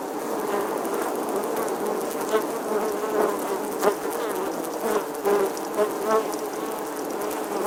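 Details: Summer bee buzzing, a sustained low hum that shifts slightly in pitch, with several short louder surges as the insect moves about; faint ticking or patter sounds in the background.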